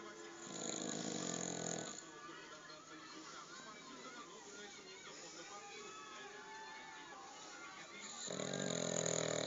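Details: A sleeping dog lies with its legs up, snoring: a long, rough, breathy snore at the start and another near the end, with quieter murmuring and a soft voice in the gap between them.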